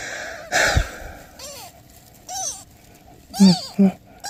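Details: Mother cat with newborn kittens, asking for help: a breathy burst, then a few short arched meows spaced about a second apart, ending with two brief low thuds and a final rising squeak.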